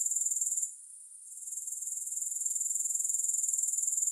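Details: Steady high-pitched grasshopper chorus with no music, a fine rapid pulsing buzz that fades out for about half a second, then gradually builds back to full, even strength.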